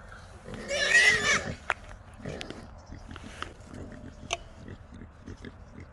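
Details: Trapped small wild hogs, three caught in a small Texas trap at night: a brief harsh squeal, then soft grunts and scattered clicks and knocks.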